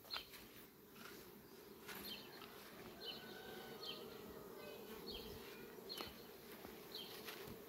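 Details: Many Western honey bees flying among sunflowers on a farm on 18 July 2021 make a steady, low humming drone, with brief high chirps above.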